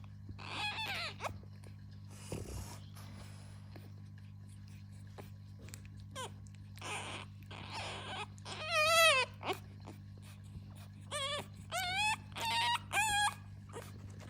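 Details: Fawn French Bulldog puppy, having trouble turning over, lets out scattered thin wavering whines and squeaks, louder and clustered in the second half, with soft rustling and a constant low indoor hum.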